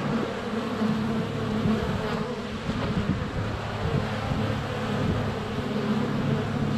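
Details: Swarm of honey bees flying around their hive entrance during sunny February weather, recorded under a foot away on a GoPro Hero 7 Black; steady, thick droning hum with overlapping wingbeat tones rising and fading as bees pass.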